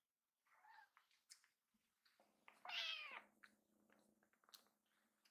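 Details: Just-woken foster kittens getting ready to pounce on their mother give a few soft, short mews and one louder, longer meow in the middle, with faint rustling and shuffling indoors.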